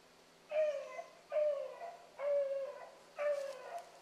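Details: A single hound pup on a rabbit trail in the morning, possibly Ringo, gives four long, mellow bays, each about half a second, falling slightly in pitch and spaced roughly a second apart.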